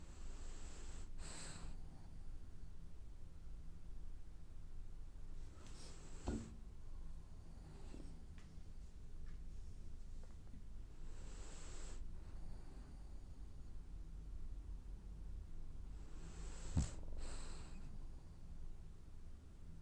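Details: Sleeping, dreaming French Bulldog producing a slow series of soft wheezy snores and breathy exhales, some with small snorting clicks, spaced several seconds apart over a low indoor hum.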